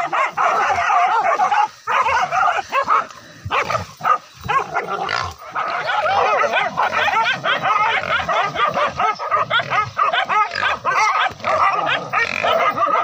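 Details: Village hunting dogs bay at a cornered wild boar during a forest hunt with spears. A dense, overlapping chorus of rapid barks and yelps runs almost without pause.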